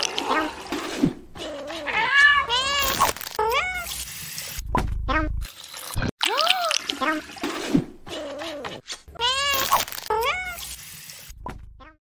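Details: Angry cats letting out repeated harmonic meows, some clustered in quick arching sequences, others single and drawn out, separated by brief silences and a stretch of low noise.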